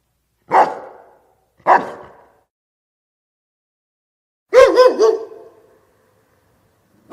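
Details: Dog barking twice in short gruff barks, then a higher, more tonal yelping bark after a pause, with another bark starting at the end.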